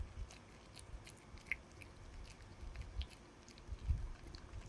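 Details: A dog working on a chew in a small room: muffled low chomps and light crackly clicks, with a firmer bite toward the end.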